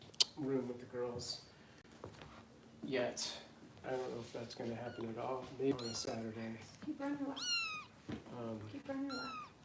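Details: Foster kittens being bottle-fed indoors by Los Angeles rescue volunteers, Harper among them: thin, high mews arch upward in short bursts near the end, mostly under steady human talking in a small room.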